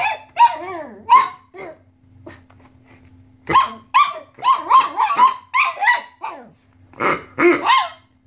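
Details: Pet Chihuahua aged 2.5 years, upset by a squeaky pig toy, alongside another brown dog that had enough of the noise: bursts of high, harsh barks in quick clusters, some growly, separated by short quiet gaps.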